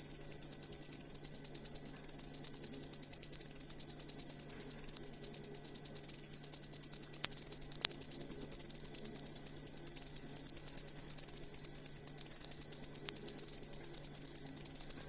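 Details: Cricket whose sound is used as a master recording for training songbirds: a dense, rapid, almost continuous high shrill trill that runs unbroken throughout, over a faint low hum with a couple of small clicks.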